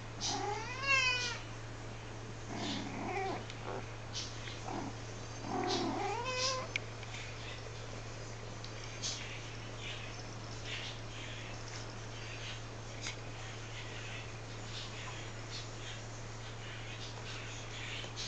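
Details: Mother cat talking to her kittens: a few short meows and trilled chirps in the first seven seconds, one with stepped rising harmonics, then only a quiet room with a steady low hum.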